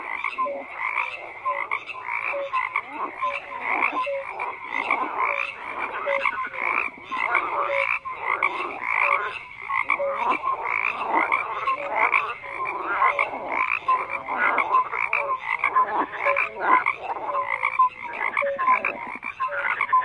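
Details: Frogs croaking in a dense, continuous chorus: many overlapping rapid croaks and short pulsed calls, with brief tonal notes recurring around the mid range, forming a steady unbroken wall of sound.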